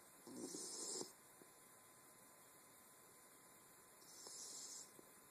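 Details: Wire Fox Terrier named Ma La snoring, recorded on an Android phone: two breathy snores with a noisy high hiss and low rasp, each about a second long, separated by a quiet pause, over a steady background hum.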